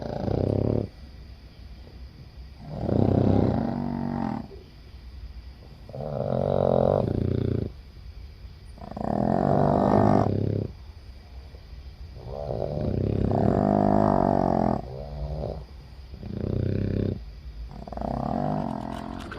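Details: Heavy snoring from a sleeping Boston Terrier among seven dogs sharing the bed; loud, gravelly, buzzing snores roughly every two to three seconds, some broken into double pulses.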